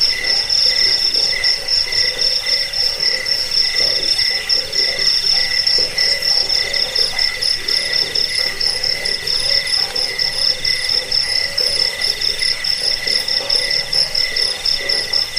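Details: Sustained cricket chorus, high and shimmering, with rapid pulses that never pause over fifteen seconds. A lower chirping band runs alongside, and a faint crackling texture sits under the steady insect noise.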